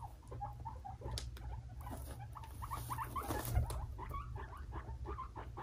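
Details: Fighting between two young male guinea pigs, Fluffy and Cocoa, aged five months; rapid runs of short chirping squeaks with soft thumps and rustling beneath, over a continuous low hum.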